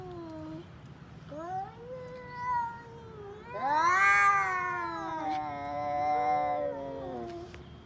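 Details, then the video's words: Domestic cats, including an orange-and-white one, in a standoff, giving rising and falling drawn-out yowls that build into a loud, strained, wavering howl, then ease downward into a lower moan. "Cat funny sounds | let’s settle our scores"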